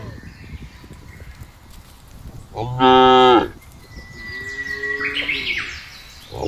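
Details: Village cattle roaming freely in a rice field or farmland give a single loud, full moo lasting about a second, followed by a quieter lowing tone. Birds chirp across the background.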